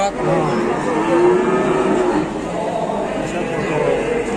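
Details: Indonesian farm cow whose nose was torn about half a month earlier gives one long, smooth, low moo that swells and fades, while voices and music carry on behind.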